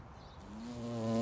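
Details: Large bumblebee visiting a delicate flower in spring; a steady droning hum with strong harmonics starts abruptly and grows louder as the insect comes close.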